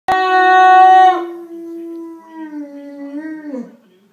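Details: Greater Swiss Mountain Dog howling: a loud, steady, tonal note held for about a second, then a softer, long, slowly falling howl that wavers and breaks off near the end. No other sounds.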